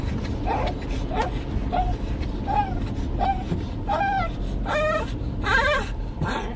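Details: Jjongi, a 17-year-old Shih Tzu with dementia, restless and acting up at night at home: short whimpering whines roughly every second, growing longer, louder and more wavering toward the end, over a steady low rumble.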